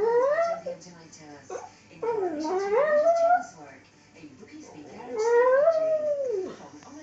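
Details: Lhasa Apso dog indoors singing along to the Coronation Street theme tune: long wavering howls that rise, dip and bend, three drawn-out notes with brief gaps, faint television sound behind.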